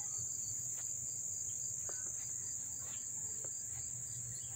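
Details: Up-close crickets in Dobbs Ferry, New York, August 1, 2014, produce a constant high, shrill ringing trill, with scattered faint clicks and short whistled sounds and a soft low hum beneath.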